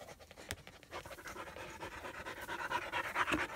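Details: Tired German Shepherd puppies, a little female and her half-brother Psycho, breathing hard after their first play session together in Florida; rapid, breathy, evenly paced panting, loudest near the end, with a sharp knock early on.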